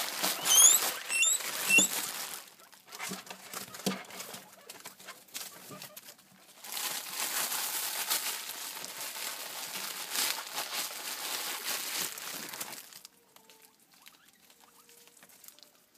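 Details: Several shrill, rising guinea pig squeals crowd the opening two seconds as the hungry animals react to rustling plastic bags meaning food. Loud bag crinkling and tapping follow, then it goes quiet near the end.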